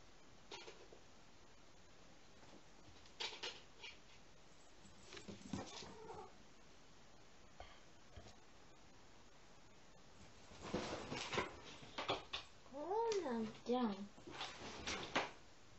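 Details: Rescued female kitten Konatsu, a few weeks old, indoors at home, wanting to play while the older male cat Myu gets ready for bed; soft shuffling noises, then short bursts of rising-and-falling harmonic mews repeated several times near the end.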